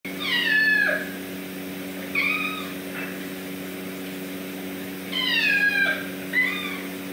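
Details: Kittens named Reese and Heath giving repeated high mewing cries, downward-sliding harmonic meows in two bursts separated by a few seconds, with a steady low electrical hum throughout.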